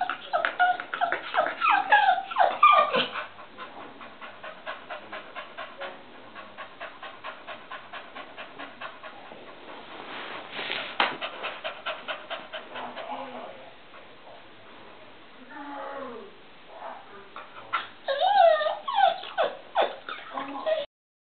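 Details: Popz, a pet dog, excited and wanting to go into the other room where visitors and a baby are, gives high whining yelps and squeaky cries, then a long stretch of rapid panting, then more whines and short barks near the end.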